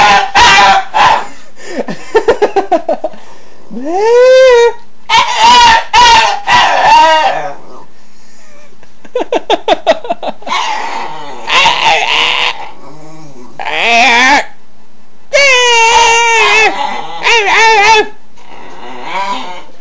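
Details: Pet dog making its habitual non-barking noise, which it does often and unprompted: drawn-out wavering, rising and falling whines and yodel-like howls in bursts of one to two seconds, separated by short pauses and clicky noises.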